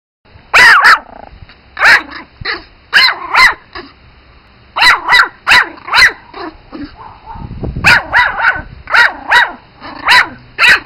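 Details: Spitz Pomeranian puppies yapping in a quiet room: sharp, high-pitched barks, often in quick pairs or triplets, about fifteen over eleven seconds, with a short pause in the middle and little other sound.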